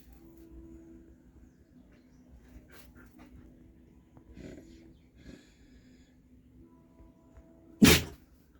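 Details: Sneezing dog: faint sniffs and small rustles, then one loud, abrupt sneeze near the end over a steady low hum.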